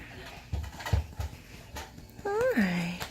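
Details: A female Norwegian Forest Cat greets her owner at the door on his return home in the evening with a rising then falling meow after soft speech. Another domestic longhair cat plays with a motion toy in the background.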